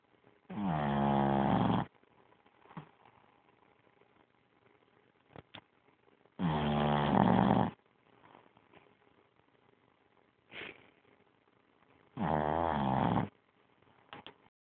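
A sleeping Boston Terrier snores loudly, each rasping, rumbling breath coming about every six seconds.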